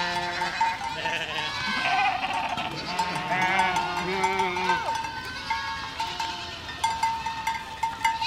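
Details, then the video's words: Goat flock walking through a village: several overlapping wavering bleats of varied pitch, some long and quavering, over a steady ringing tone and general shuffling background noise. "Efeito sonoro de rebanho de cabras caminhando por uma aldeia"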